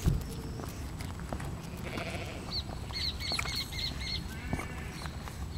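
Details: A 35-day-old male bulldog puppy, born in a kennel, gives a quick run of high, thin squeaks and whimpers over low rumbling background noise.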